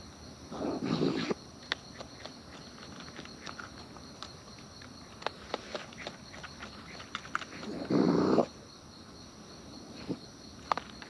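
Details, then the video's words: Wild raccoons eating at close range, natural chewing: scattered sharp clicks and crunches through the clip, with two louder low rustling bursts near the start and around eight seconds, over a steady high hum. "Wild Raccoons & ASMR Chewing Sounds"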